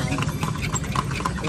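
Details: Ridden horse touring the streets of Vigan, Philippines: a brisk run of hard clip-clop hoof knocks, with muffled voices and low traffic hum behind.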